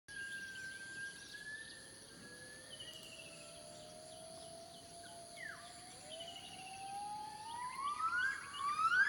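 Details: A gibbon sings at Cat Tien National Park, Vietnam, giving long, clear rising whoops that grow faster and louder over a steady insect drone.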